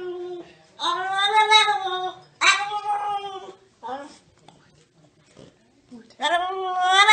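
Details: Dog talking in long, rich yowling moans that swell and fade, separated by quiet gaps with faint small noises, indoors.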